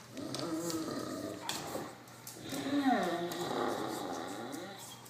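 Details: Dog making odd growling, moaning noises while playing tug with another dog; drawn-out, wavering groans rise and fall across the recording, with a louder, warbling stretch near the end.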